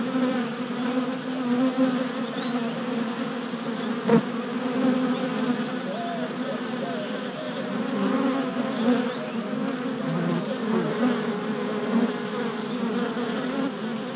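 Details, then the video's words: Many worker honey bees on orientation flights before a new hive, recorded 27 April 2017 with a GoPro, four days after installation: an unbroken droning buzz of the swarm, rising and falling slightly, with one sharp tap midway. "Honey Bee Orientation at Hive"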